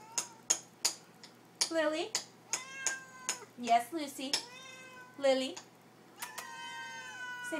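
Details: House cats begging for their supper in a small room; repeated long meows with sharp clicks and taps between, a few loud wavering cries, as a woman chats to them encouragingly.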